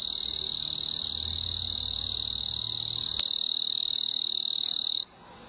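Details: Mid-August on a veranda, a male snowy tree cricket perched on a large purple clematis bloom stridulates to call a mate: a loud, high, unbroken pulsing trill lasting about five seconds before falling silent, with a soft low rumble early on.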